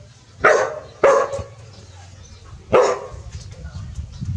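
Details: Pao and Rank, dogs living at a village, bark seriously after meeting a snake; three loud, rough barks, the first two close together, the third after a gap, with faint low rumbling after.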